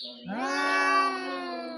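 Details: Household cat in a fight with a stray from outside: one sustained, strained wail that rises sharply at onset and then holds steady, rich in harmonics, with faint background voices.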